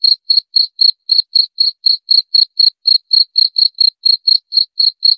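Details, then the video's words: Cricket, presented as a sound for repelling rats, giving a steady series of short, high, pulsed chirps at about four per second, roughly twenty-one in five seconds, against a silent background. "Suara Jangkrik"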